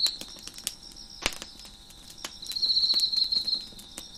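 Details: Crickets chirp in the background of a crackling fire on a deck: a steady high hum, then a loud, rapid, pulsing high trill lasting about a second, with sharp pops and crackles of fire before it.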